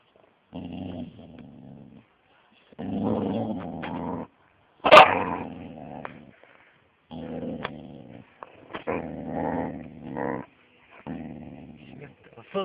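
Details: Angry young Siberian Husky, six and a half months old, growling in low rumbling bursts of one to two seconds separated by short silences, with a sharp bang partway through.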